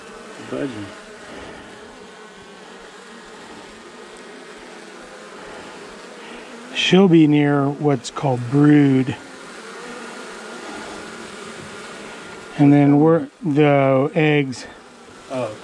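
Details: Long-established honey bee colony in the wall of a house, grown angry as darkness fell on the first day of a March 6 cutout: a sustained low droning swarm hum, interrupted twice by a man talking.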